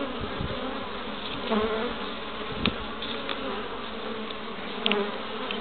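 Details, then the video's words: A dense, steady hum of many Western honey bees (Apis mellifera) busy at their hive entrance in Pembrokeshire, west Wales, on 11 March 2012, with brief louder passes. "Honey Bees at the Hive Entrance"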